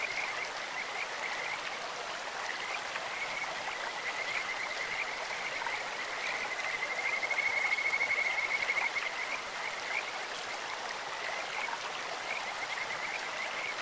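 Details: Clear-stream chorus of Kajika frogs, their voice likened to a bird or insect: faint high trills build to a brighter, rapidly pulsed run midway, then fade under continuous rushing water.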